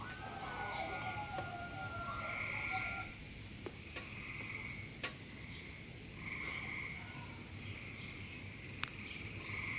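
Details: A frog gives repeated buzzy, high croaks in short bursts, calling in search of a mate.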